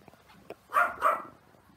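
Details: About 30-day-old puppies, three sleeping together, with one giving two quick high yelps in a row after faint rustling.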